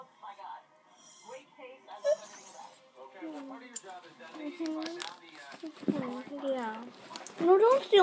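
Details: A beagle makes a run of whiny, yodelling 'talking' noises that rise and fall in pitch after seeing another dog.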